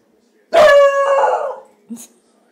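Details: Household dog playing alongside pets called Bowser and Roxy lets out a single strong, sustained whining call of about a second, level then wavering as it trails off, followed by a short soft knock.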